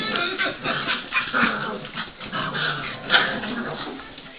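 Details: Eight Dogue de Bordeaux and Cane Corso cross mastiff puppies give short, high whimpers and yips in quick uneven bursts, over voices and background music.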